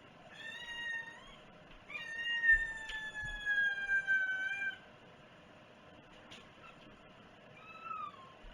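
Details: Indoor house cat with a drawn-out, loud meow lasting nearly three seconds, slowly sliding downward in pitch, preceded by a shorter meow and followed by a brief, softer mew near the end; a couple of thumps.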